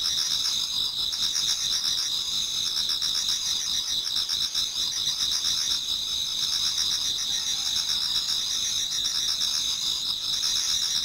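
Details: Many insects in a Japanese garden singing in autumn before dawn: a continuous high, shimmering double-layered trill, with rhythmic lower chirps swelling in and out at intervals of about two seconds.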